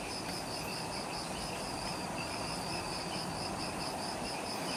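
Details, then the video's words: Dusk chorus of insects in the jungle of Ishigaki Island, Okinawa, Japan, just after sunset; steady beaded high chirps pulse over a sustained thin whine, backed by a soft low rumble. "Relaxing Jungle Ambience with Insects"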